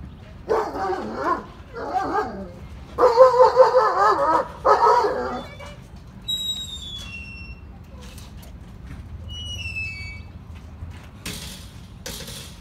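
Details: Dexter, a three-year-old male black Labrador Retriever, eager to play with another dog: bursts of strained, wavering whines and yips over five seconds, then thin bird chirps over a faint background hum.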